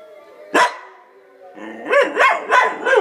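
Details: Luna, a pet dog, responding to wolf howls: one sharp bark, a second of quiet, then a run of wavering, yodel-like howling notes that rise and fall about three times a second.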